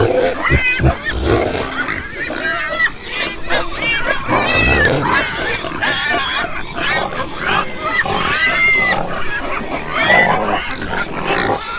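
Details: Farm pigs with piglets produce rapid, overlapping grunts and nasal snorts, punctuated by curved, whining squeals that arch up and down, several of them strong near the middle and end.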